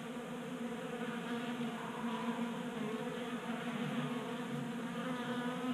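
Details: Honey bees feeding together at a tabletop bee feeder in a Colorado garage on a warm January day; dense steady humming of many wings, with a brighter buzzing tone weaving through the middle.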